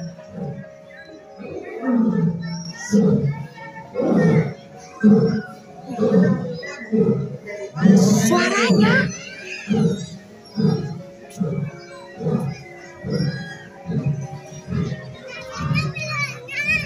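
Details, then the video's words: A zoo lion gives a long series of deep, grunting roars, repeated roughly once a second, first mistaken for a sound system testing a mic; it seemed angry. "Tapi ternyata itu suara auman singa ya mak ya."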